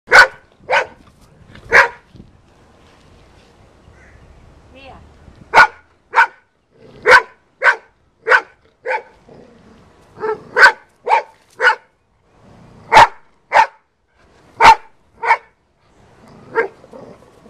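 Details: Female Golden Retriever in a back yard fighting a snake, barking in sharp single barks, some in quick pairs, with quiet gaps between bursts and faint low scuffling noises.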